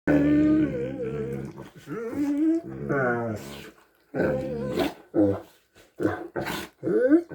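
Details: Two Great Danes making strange hippo-like noises: drawn-out, moaning, harmonic groans that waver in pitch, then a series of shorter grunting bursts separated by brief pauses.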